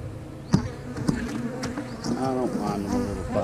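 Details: Honey bees at an opened hive during an inspection of splits, described as a little feisty: a dense low hum with sharp taps around the first second, then wavering tonal whines over the continuous drone.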